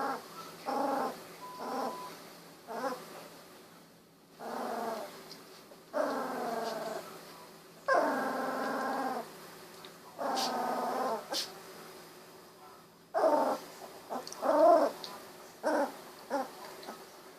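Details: Golden Retriever puppies, 16 days old with eyes recently opened, wiggling and walking around; a run of short harmonic growling and whimpering bursts, each about a second long, with brief pauses between, plus a few soft squeaks.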